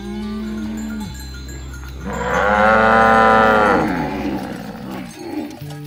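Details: Herded cows heading along a rice field ditch to the livestock pen. One long, loud moo lasting about two seconds swells and fades, with quieter lower lowing before and after it and a persistent low droning background.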